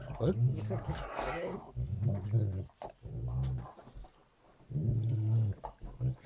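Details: Great Dane indoors while the bedding is being changed, giving deep, drawn-out grumbling moans in four low, harmonic bursts of about one to one and a half seconds each, with human voices talking over and between them.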